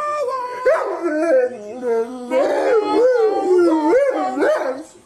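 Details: Domestic dog 'talking': a wavering, howl-like voice that slides up and down in pitch, broken into several drawn-out phrases with a short pause midway, loud and clear with no other sounds.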